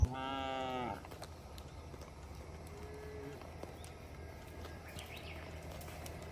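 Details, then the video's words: One cow from a herd roaming the road lets out a single rich, harmonic moo lasting about a second, then only low rumbling outdoor noise continues. "Rombongan sapi berkeliaran di jalan suara sapi bunyi"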